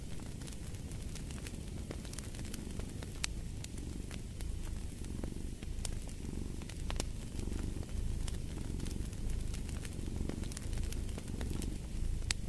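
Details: Domestic cat purring in a low continuous rumble that swells and fades in slow breathing cycles, mixed with the sharp pops and crackles of a burning fireplace throughout.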